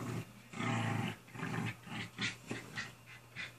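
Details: Ida, a pet dog, barks loudly in the face of her companion dog Izzy, wanting her to play: two long rough growling bursts, then a run of shorter harsh barks, with faint talking behind.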